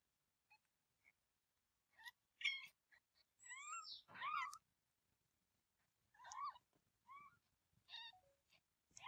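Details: Cat mother close to giving birth, still holding her kitten. Clustered short meows and longer bent calls overlap, some harsh, with brief quieter chirps between bursts.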